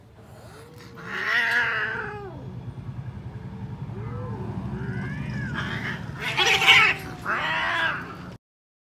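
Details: Several pet cats indoors, one giving long wailing caterwauls with rising and falling harmonic tones, about four drawn-out howls across the recording, over a low rumbling growl-like background; brief human speech present.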